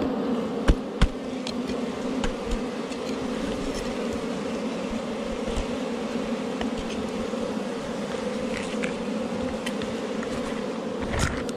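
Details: Wild honey bees at a forest hive found under rocks, disturbed during honey hunting: a steady, dense low hum of many wings runs throughout, with scattered sharp clicks and taps of handling.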